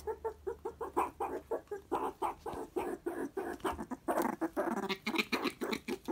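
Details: Pet meerkat named Pumbaa, kept at home, excited while being fed its favourite animal jelly as a snack. It gives rapid, evenly repeated short chirping calls, about five per second, that grow denser and louder toward the end, indoors.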